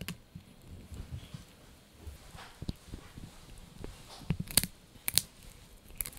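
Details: Blue, a male Yorkshire Terrier puppy, gnaws a dried bunny ear; soft low crunching runs throughout, broken by a few sharp crackling bites near the end.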